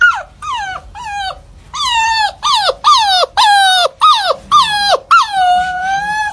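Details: A dog yelps in a quick series of about nine short, sharply falling cries, spaced roughly every half second, then finishes with one longer, level, whining cry.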